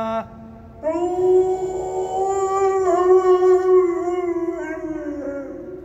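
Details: Kani, a pet dog, starts a long howl after a brief pause, a rich tonal note held for about five seconds with slight wavering pitch, above a faint high continuous tone.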